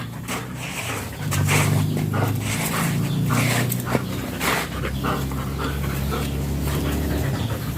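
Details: German Shepherd during a stud session at Nalsian, Manaoag, Pangasinan, panting in quick, uneven breathy bursts over a steady low hum, with a soft whimper-like note midway.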